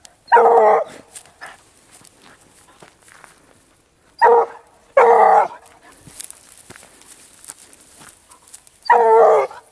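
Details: Pack of hunting dogs following a wild boar trail: loud, full-throated bays in four separate bursts, with pauses of several seconds between them, and faint rustling and footsteps in the quiet gaps.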